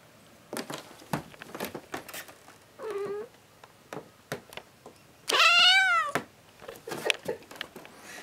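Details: Domestic cat that enjoys lying upside down, indoors; a short soft meow around the middle, then a louder, drawn-out rising-and-falling meow, amid scattered sharp taps and clicks.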